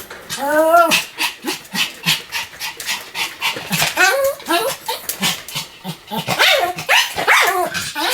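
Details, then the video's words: Pomeranian named Sam in a stretch of continuous barking, giving high, ringing yaps with rising and falling tone, some drawn out into whiny yelps, mixed with human speech nearby. "犬の鳴き声 ポメラニアン サムちゃんの連続吠え集"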